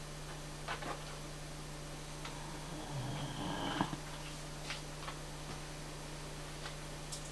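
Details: Great Dane named Sherman snoring while relaxed indoors; one drawn-out, rough low snore swells in the middle and fades, with faint soft breaths before and after over a steady low electrical hum.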